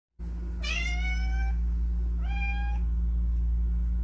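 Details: A house cat from a home with ten rescued cats gives two clear meows: a long, level, slightly rising one, then a shorter, softer one. A loud steady low hum runs underneath.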